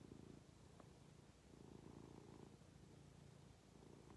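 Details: Domestic cat resting contentedly on its owner's lap, purring: a low, steady rumble that swells and eases in breath-paced surges, continuous throughout, with no other clear sounds in a quiet indoor setting.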